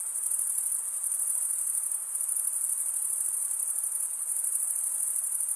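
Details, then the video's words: High, ringing trill of stridulating male crickets, wings scraped comb-like against each other, steady throughout with a quick shimmering pulse and no breaks or other noises. "cricket sound"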